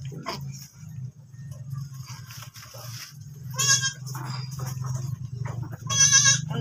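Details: Recently kidded goat gives two loud, harsh, nasal bleats a few seconds apart over a constant low droning hum, with faint soft sounds in between.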